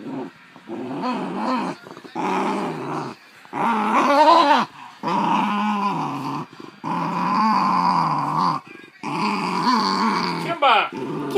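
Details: Basenji MBibi growling indoors while tensely claiming a toy from Kimba, another Basenji, in a near fight. Loud rumbling growls come in bursts of one to two seconds, separated by brief silent gaps, pitch wavering up and down.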